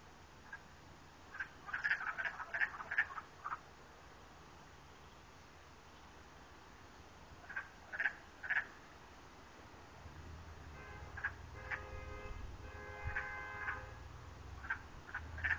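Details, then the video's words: Frogs heard from a river, giving short bright croaking notes in clusters near two seconds and eight seconds, then a run of rapid pulsed, evenly spaced calls with a lower harmonic band, over a steady low rumble. "Crazy noises"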